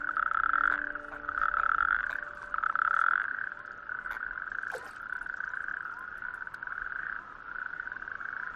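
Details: On a warm May evening, male natterjack toads call at night in chorus from small islets of a bare-rock outer archipelago coastline, each giving a loud, rasping, rolling trill overlapping into a near-continuous churr, inflating vocal sacs to attract females.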